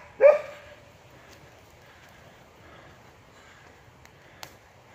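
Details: Female Border Collie out with her owner on an afternoon walk to the park, near sticks under a tree: one short, sharp, slightly tonal yelp at the start, then only faint background hiss and a soft tick.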